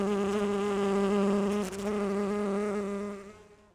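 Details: Rhododendron-visiting bumblebee, like a Bombus ardens or Bombus ignitus type, collecting pollen. A strong, deep, even buzz drones for about three seconds with a brief dip midway, then fades away as the bee moves off.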